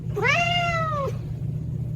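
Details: A single clear cat meow lasting about a second, rising briefly, then held and gently falling, over a low steady hum.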